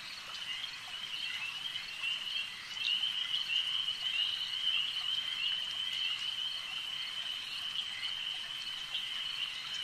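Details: Lakeside frogs form a dense, warbling high-pitched chorus that swells after the first few seconds and holds steady, over a low background hiss.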